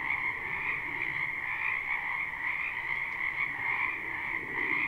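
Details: Spring frog chorus from a wetland behind a house, recorded live without looping: a dense, continuous wall of overlapping trilled croaks forming steady bright bands, with a softer lower layer of calls beneath.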